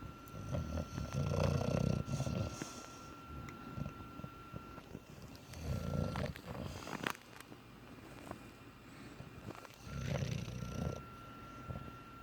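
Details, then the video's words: Sleeping English bulldog, eyes open, giving deep rumbling snores in regular bursts roughly every four seconds, each a low rasping breath, with a thin steady tone and small clicks between. "Bulldog snoring with his eyes open"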